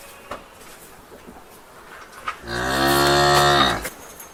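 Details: In a barn, a cow gives one long, deep moo, rich and steady after a slight dip in pitch.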